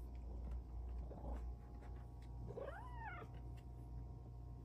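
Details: A female Bengal cat on her petting shelf chats with her human, giving a clear, arching meow that rises and falls after a softer opening mew.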